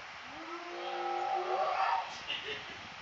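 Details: A male spotted hyena in a zoo gives a single drawn-out howl that climbs steadily in pitch like a rising whoop.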